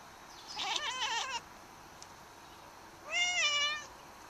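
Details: Pet cat watching birds outside, giving two drawn-out wavering meow-like cries, the first shaky and trembling, the second smoother and slightly falling, separated by a short pause.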